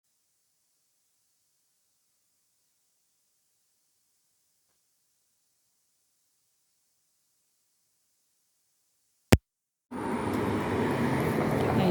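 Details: Near silence for about nine seconds, then a single sharp click and a burst of loud broadband noise, with no animal voice.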